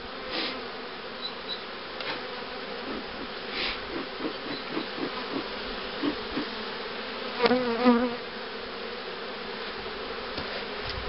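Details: Honey bee colonies at an apiary preparing to rear queens, 2013: a constant buzzing hum overlaid by a run of soft repeated taps and a short squeaky handling noise.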